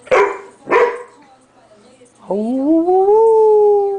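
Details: Male standard poodle playing tug with a female dog, recorded in 2003 in a home: two sharp, loud barks close together, a short pause, then a long, steady, tonal howl-like whine that rises gently and holds.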